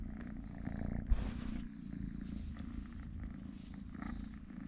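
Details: Purring from Totoshka, a small kitten with three legs, deep and continuous with a pulsing low buzz; a brief rustling burst near the first second interrupts the rumble.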